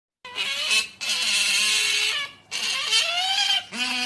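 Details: Otter begging for snacks with a strange call: long shrill, harmonic-rich squeals with wavering pitch, delivered in sustained bursts of about a second or more.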